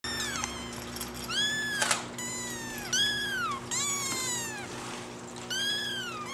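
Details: Two Singapura kitten siblings, born on 25 December, toddling about and exploring together; high, thin meows that arc up then slide downward, about seven in quick succession, some overlapping, over a faint steady hum.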